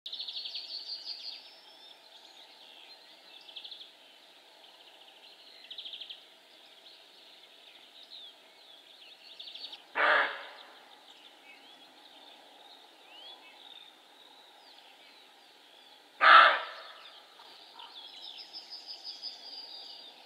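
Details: Male roe deer giving two short, harsh, broadband barks about six seconds apart, each a rough burst standing out over a steady background of high, twittering birdsong.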